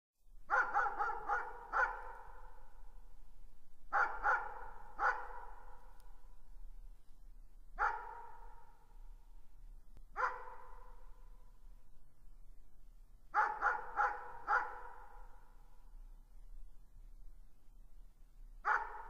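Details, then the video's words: Distant dog barking: clusters of two to four quick echoing barks, then single barks, spaced a few seconds apart in an otherwise quiet setting with a faint low hum. "Distant Dog Barking"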